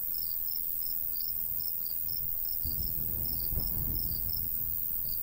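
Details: Summertime crickets by a golden wheat field in the countryside give steady high, thin chirps roughly three per second, while a soft breeze rumbles underneath, rising briefly midway.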